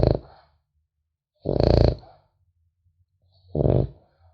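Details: A French Bulldog puppy snores in its sleep. Three gravelly, low snorting inhalations come roughly two seconds apart, with a faint soft rumble of breathing between them.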